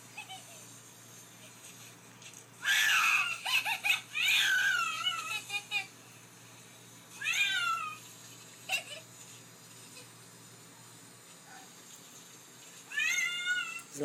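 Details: Domestic cat, a female, calling indoors in a small room right after being given a bath; several drawn-out, wavering meows with falling tails around 2.5, 4, 7.5 and 13 seconds, separated by quiet stretches with faint room noise.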